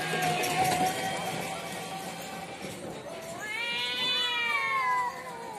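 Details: Cats fighting in front of a house: a steady drawn-out tone gives way to a rising, wavering yowl with rich overtones that swells and then fades, over a noisy outdoor background.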